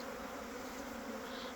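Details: Honey bees from a hive producing multifloral honey, colonies actively working: a dense, steady droning hum with a low even tone throughout and a soft hiss over it.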